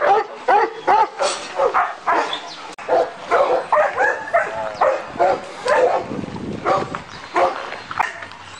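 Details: Turkish Malakli and Korean Jindo dogs at an Alabai kennel: distinct, separated barks roughly twice a second, some drawn-out and whiny, with a quieter pause near the end.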